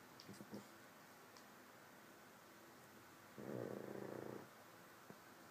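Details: A sleeping pug dog snores; one short rough snoring breath of about a second, low and raspy, with a few faint clicks and snuffles before it, otherwise quiet indoor background.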